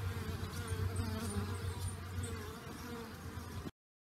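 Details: Honey bees all out on a pleasant, unusually warm new-year day after a torrential overnight downpour; a steady, dense humming drone of many wings with layered overtones, slightly uneven in loudness, ending abruptly.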